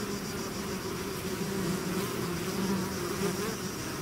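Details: Bees swarming out of their hive make a thick, even hum, low wavering tones drifting slightly up and down as countless wings beat together without a break.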